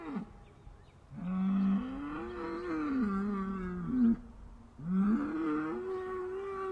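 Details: Upset cattle giving two long, deep, wavering bellows, each rising slightly in pitch and held for about three seconds, with strong overtones and a short pause between them.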